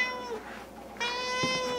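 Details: A domestic cat yowls for its favourite food, giving two insistent, drawn-out meows while bowls are set out for feeding, with two other cats also waiting to eat.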